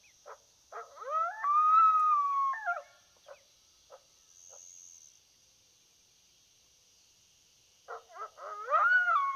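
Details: On a coyote hunt, a coyote gives choppy yips that break into a long, level, slightly falling howl, then scattered barks, a quiet pause, and another burst of yips rising into a howl, with a constant high-pitched background hiss.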